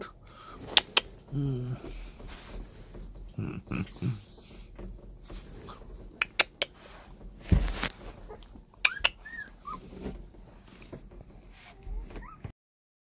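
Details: Newborn puppies, 17 days old, indoors and just beginning to move about and try to escape their enclosure; faint high squeaky whimpers come in scattered short bursts among clicks, thumps and brief human speech.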